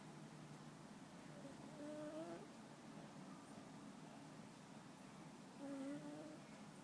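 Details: Sleeping house cat Muffin snores gently, two faint whistling breath sounds about four seconds apart against a low steady room hiss.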